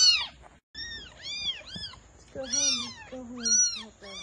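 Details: Stray kittens outdoors by a market on a cold day, mewing insistently: about eight high, arched, harmonic-rich mews in four seconds, some overlapping, with a longer, lower, drawn-out cry midway and a brief silent gap early on.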